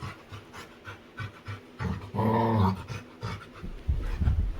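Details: Playful female Labrador retriever named Winry, playing with her owner, pants rapidly and gives a low, drawn-out grumbling groan of about half a second in the middle, followed by heavier breathing.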